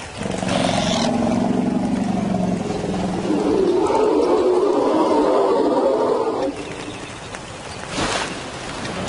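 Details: Lion roaring in Africa, the sound new arrivals make in another lion's territory as an insult to the resident Simba. A rasping, broadband roar swells and holds for about six seconds, then breaks off into quieter low rumbling and a brief later burst.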